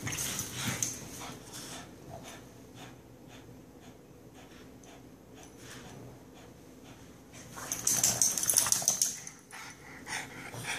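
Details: Benny and Lilly, two pet dogs, worked up indoors: a scrappy burst of snorting, whimpering noises in the first second, a quiet lull, then a louder, hissy flurry around eight to nine seconds before fading.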